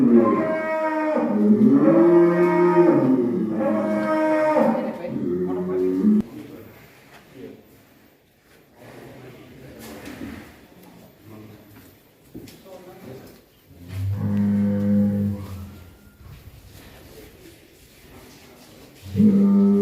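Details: Huge fattened cattle that have long stayed inside their pen give loud, drawn-out moos: a run of deep, rich bellows over the first six seconds, a quiet stretch, another low moo near fifteen seconds, and a final one starting at the end.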